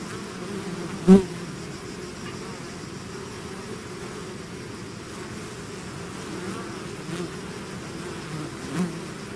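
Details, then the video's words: A swarm of bees out of its hive hums in a soft, continuous low drone, broken by two loud close buzzes as single bees fly past the microphone, near the start and near the end. "bees therapy swarm natural buzzing sound"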